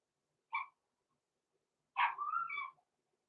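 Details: Cavalier King Charles Spaniel puppies aged six weeks, blenheim littermates Roman and Blue, kept in a home puppy pen. One short high yip, then after a pause a sharper yelp that trails into a drawn-out whine.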